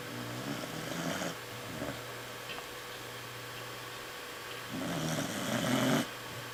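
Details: A sleeping corgi snores loudly in two long, raspy breaths, low and rumbling, with a quiet pause between.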